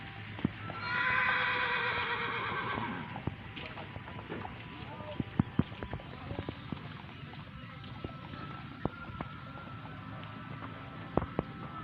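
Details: Horse at Gelanggang H.M Hasan Gayo arena in Takengon, Central Aceh, Aceh Province, ahead of the 2023 traditional Gayo horse race. One loud, quavering whinny lasts about two and a half seconds, then scattered hoof clip-clops, sharp clicks and crowd voices follow.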